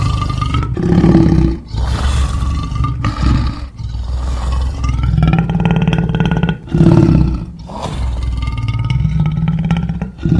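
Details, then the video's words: Deep lion roars rise and fall in long, rumbling swells separated by short pauses, with gravelly growling carrying between them. "Lion Sounds"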